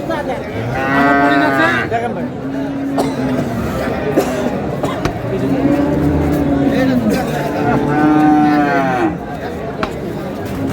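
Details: Cows with calves at the Ambari cattle market in Dinajpur, Bangladesh, 1 May 2026: long, loud lowing moos, several in a row each lasting one to two seconds, over market crowd chatter and voices.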